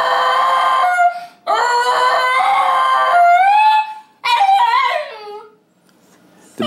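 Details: Lucy, a female Basenji, a barkless dog, lets out a warbling yodel-howl that slides up and down in three drawn-out phrases. She does this when left alone, unhappy, or wanting attention.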